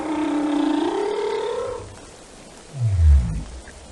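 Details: Whale singing: a drawn-out tonal moan that slowly rises in pitch for nearly two seconds, then a short quiet hiss before a deep, loud low-pitched grunt sweeps downward.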